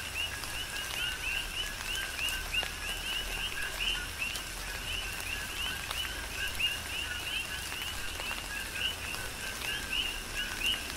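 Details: Rhythmic chorus of coqui frogs in rain on the Big Island of Hawaii: dense two-note calls, a flat lower tone then a quick rising chirp, repeated without pause, with raindrops tapping and a faint low hum beneath.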